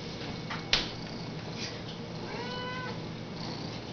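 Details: A house cat talking, a single drawn-out harmonic meow near the end, level then slightly falling, preceded by a sharp click and soft background hum indoors.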